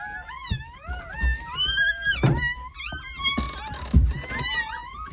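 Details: Several newborn Jindo puppies from a nine-pup New Year's Day birth at a country home cry together in continuous rising and falling squeals, mixed with dull thuds and handling noises indoors.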